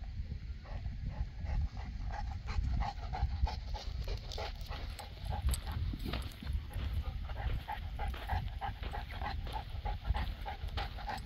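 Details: Boerboel, a South African Mastiff from a pair named Enzo and Diva living in Egypt, panting in steady rapid breaths over a low rumbling background.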